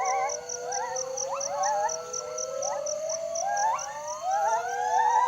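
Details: Gibbon song announcing territory: a chain of pure whistled notes, each sliding sharply upward, repeated roughly every half second and growing stronger, with a regular high-pitched pulsing buzz running throughout.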